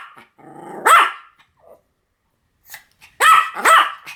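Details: Pomeranian giving a low rumbling growl that rises into a sharp yap, then after a pause two loud high barks in quick succession.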